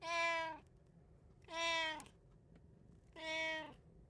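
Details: Domestic cat from a three-cat home in Japan, recorded 8 May 2024, giving three loud, evenly pitched harmonic meows roughly every one and a half seconds, each ending with a slight downward slide, over quiet indoor background.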